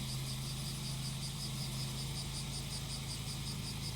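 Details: Cicadas singing during grass-cutting work in rural Japan: a high, shimmering buzz pulsing rapidly and steadily, blended with the loud, low, continuous drone of a brush-cutter engine running throughout.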